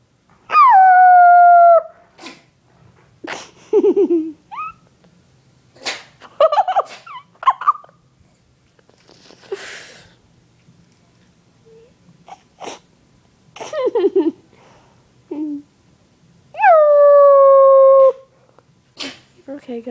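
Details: Onyx the pet dog lets out two long falling howls, one at the start and one near the end, with short yips, whimpers and snuffling noises between them.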